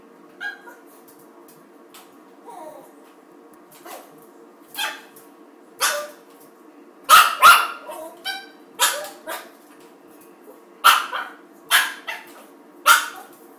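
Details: Norfolk Terrier attacking a toilet paper roll, giving short, sharp barks at uneven intervals. They are sparse at first, then come in quicker, louder pairs and bursts in the second half, over a steady low hum.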